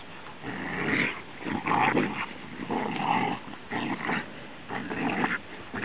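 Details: A pet Rhodesian Ridgeback growls in rough, gritty bursts about once a second, each rumble swelling and fading over roughly six seconds, with no other clear sounds.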